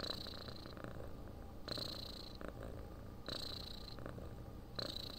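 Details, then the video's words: Sleeping cat purring softly, with a continuous low vibration. A breathy hiss rises on each breath, roughly every one and a half seconds, in an even, drowsy rhythm. "Храп кошки. Муркотание для сна."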